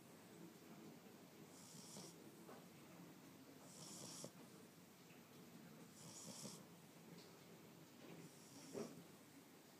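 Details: Eight-week-old Boxer puppy named Boomer sleeping after his first day in his new home, breathing in gentle, hissing snores, about a breath every two seconds, with one small snort near the end.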